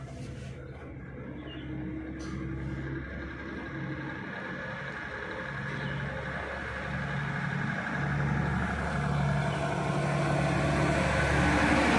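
Steady low engine rumble from a heavy vehicle, with no animal voice audible.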